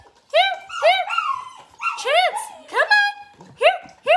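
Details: Seven Gerberian Shepsky puppies with a newly arrived tunnel; a run of high, arching whines and whimpers, each rising then falling, repeated roughly every half second, with brief sharp yips mixed in.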